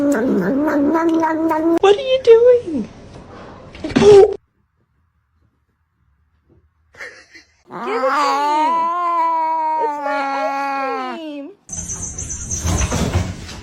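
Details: Fighting cats caterwauling indoors: a drawn-out, wavering yowl rising and falling, a brief gap of silence, then a longer, overlapping duet of moaning wails, ending in a burst of loud hissing noise.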